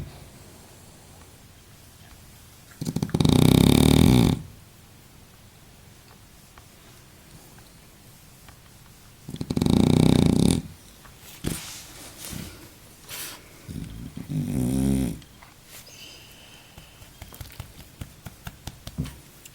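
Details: Baboo the French bulldog, sleeping through a nap and slow to wake, lets out two loud gravelly snores several seconds apart, followed by shorter snorting breaths and small rustling noises.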